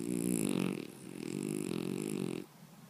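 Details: {'caption': 'Loud snoring from a sleeping French Bulldog, a deep rattling drone in two drawn-out breaths, the second longer, followed by quiet.'}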